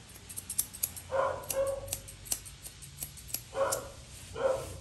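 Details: While being groomed, a Poodle mix lets out four short, high barks in two pairs. Rapid snipping of scissors clicks in between.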